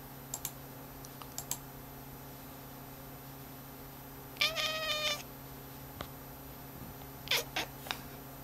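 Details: Rudy the cat, indoors watching a cursor move on a screen, lets out a drawn-out meow mid-clip and a shorter one later, amid sharp clicks of computer keys and mouse and a constant faint hum.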